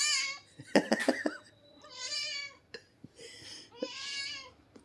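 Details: Pet cat giving four plaintive, arched meows, rising then falling in pitch. Sharp clattering knocks sound between the first and second meow.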